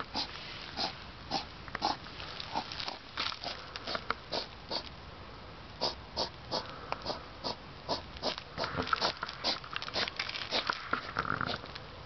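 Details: European hedgehog outdoors at 10pm on 3 September 2009, loud enough to hear from indoors: rapid breathy sniffs and snorts like a pig, short bursts roughly twice per second, steadily repeated.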